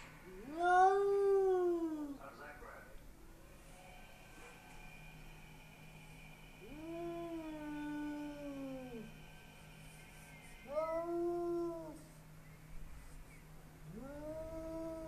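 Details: Bengal cat Spooky, hostile to the neighbour's Persian cat behind glass, caterwauls four times: long wavering moans that rise, hold and sag, spaced several seconds apart, over a steady electrical hum and a faint high tone.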